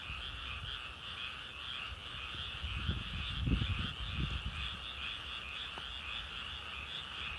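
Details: Continuous frog chorus of rapid trilled croaks in two steady bands, high and lower, with low thumping and rustling noises swelling in the middle and a brief click near the end.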